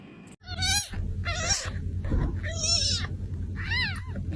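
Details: Kittens meowing: four drawn-out, high, wavering mews with rich overtones, each about half a second long, spaced roughly a second apart over a steady low rumble.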